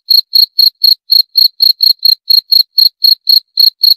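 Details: A cricket calling with evenly spaced shrill chirps, roughly four per second, each chirp a brief bright trill; the background is completely silent.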